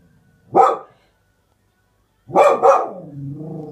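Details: Springer Spaniel puppy barking at something outside: one sharp bark, a silence of over a second, then a fast double bark that fades into a low, wavering growl-like whine.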